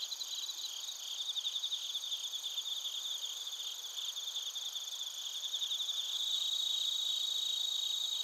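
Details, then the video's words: Bell crickets and other crickets chirp in Narita, Chiba, Japan, recorded using a TASCAM Portacapture X8. Continuous high, pulsing trills layer together and grow louder and steadier in the final seconds. "スズムシとコオロギの鳴き声 - Chirping of crickets"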